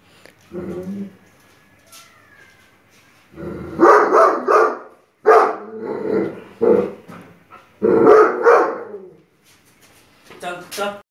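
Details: A nine-month-old Great Dane, scared by a Buddha statue, barks in loud, rough bursts, startled and alarmed.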